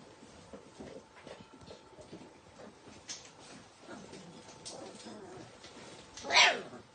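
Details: Four-week-old Hungarian Vizsla puppies indoors; mostly quiet rustling and faint whimpers, then one loud, sharp high yelp near the end.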